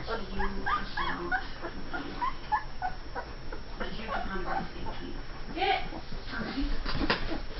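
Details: Saint Bernard puppies, two and a half weeks old, from a litter born June 18, 2011, whimpering and squealing in short, high, wavering bursts that come quickly one after another over a constant low rumble, with faint human voices mixed in.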